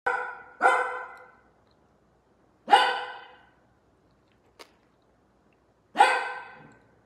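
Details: Italian Greyhound barking: four sharp, bright barks, two in quick succession and then two more each about three seconds apart, with one small click between them in an otherwise quiet room.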